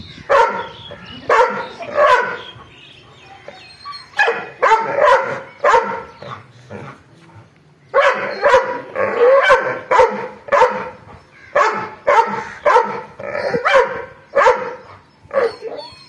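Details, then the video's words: Sustained angry barking from a dog: dense bursts of harsh, rapid barks broken by short quiet gaps, repeated throughout. "angry dog barking"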